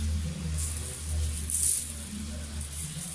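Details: Steady low hum with faint music and hiss, and no animal voice.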